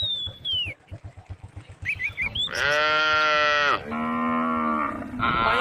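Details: Tame cows on a forest road. Bird whistles and rhythmic clopping footsteps come first, then a loud, harmonic moo lasting over a second, followed straight away by a lower moo and the start of a third.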